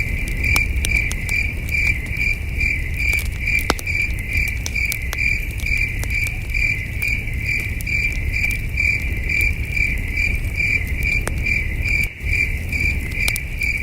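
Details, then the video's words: Distant crickets on a cool starry night at a campsite: a constant high, ringing chirp repeated rapidly and evenly, with scattered popping of the campfire and a deep background rumble. "Camping Under a Million Stars with Soothing Cricket Sounds"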